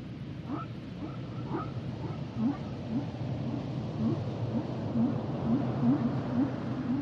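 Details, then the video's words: Humpback whale song underwater: short upswept chirps near the low-mid range repeated about twice a second, with a few higher whoops early on, over a steady low rumbling sea hiss. "Sounds and Songs Of The Humpback Whales"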